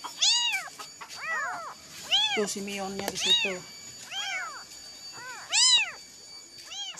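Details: Orphaned kitten wailing through the night for its mother until it shakes; a run of loud, high, arched meows, several in quick pairs, with a brief lower voice-like sound in the middle.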